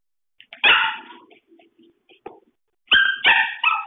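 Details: Pembroke Welsh Corgi at play indoors, giving one sharp, bright bark, then a run of soft small grunts and snuffles, and finally three quick, loud, ringing barks in close succession.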